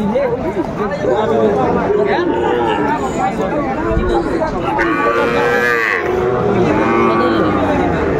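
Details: Sahiwal bull calves at a busy cattle market on 20 April 2024, being traded. Drawn-out, wavering moos rise and fall under a constant din of people talking and haggling nearby.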